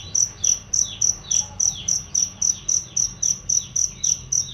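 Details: Cricket chirping, a loud, clear master sound for training songbirds; crisp high pulses repeat evenly about every quarter second, with little else heard besides faint bird notes.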